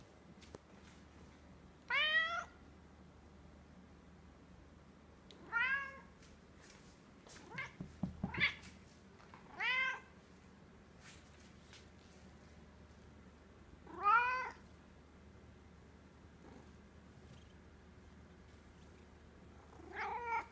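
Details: Talkative Egyptian Mau named Jazzmine, a pet cat indoors, gives six clear rising-falling meows spaced every three to four seconds, with a short burst of handling noise in the middle and a person softly coaxing her.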